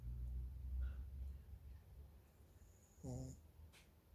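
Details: Shih Tzu dog snoring indoors: a low, rumbling snore for the first second and a half, quieter breathing after, then a short nasal snort with a buzzy, layered tone near three seconds, followed by a faint click.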